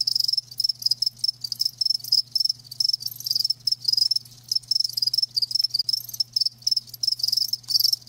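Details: Live crickets chirping as natural sound: dense, high-pitched trilled pulses in short bursts, several chirps per second overlapping into a near-continuous shimmering chorus, with a faint steady low hum underneath.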